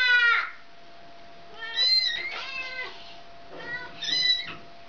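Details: A mother cat that wants her kitten back calling insistently: three loud, harmonic meows about two seconds apart, each rising then falling in pitch, with a faint steady tone underneath.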